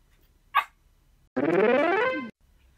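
A Pomeranian gives one sharp yip, then a drawn-out, rising, high-pitched bark.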